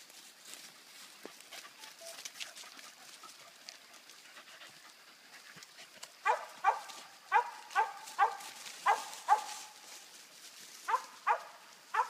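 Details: Bigun, a dog treeing a squirrel, barking; a quiet stretch of rustling and distant sounds gives way after six seconds to a run of sharp, evenly spaced barks, followed by a few more after a short gap.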